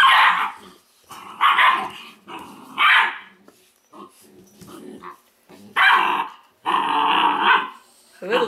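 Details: A Weimaraner puppy litter from Indigo and Magnum, teething age, gives short harsh barks and growly yaps in irregular clusters, roughly every second or two, separated by quiet gaps with faint scuffling.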